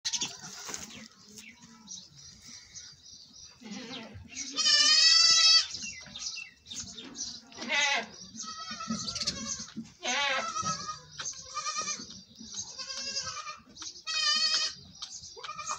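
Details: Domestic goat during milking, giving repeated quavering, nasal bleats with strong vibrato, several loud bursts spaced a few seconds apart, with faint rustling and handling noises between calls.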